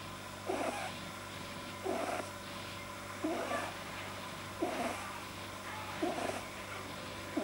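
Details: Domestic male rabbit lying deeply relaxed, noises blamed by a vet on an overlong soft palate, 9 January 2010: regular honking snorts, each a brief rasping puff, coming about every one and a half seconds against a quiet humming room.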